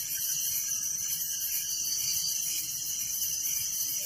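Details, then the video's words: Night chorus of crickets in a village: a constant, very high, buzzy ringing with quick regular pulsing and nothing else standing out. "Relaxing Night Crickets Sound in Village"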